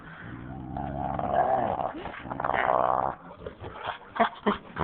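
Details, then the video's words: Husky and boxer playing together, the boxer trying to sleep while the husky pesters her; long rumbling growls and howl-like wavering vocalizing, then shorter sharp yips. "Dogs playing and making funny noises"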